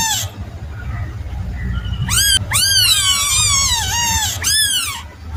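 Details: A kitten gives high, wavering cries: a faint first call, then two long descending meows with a quavering tail, over a constant low background hum.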